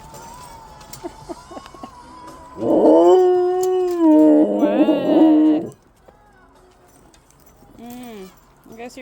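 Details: Excited Siberian huskies at home, one giving a loud, drawn-out, steady howl lasting about three seconds. It is preceded by human talking and quiet sounds, and followed by short yelping calls and more speech.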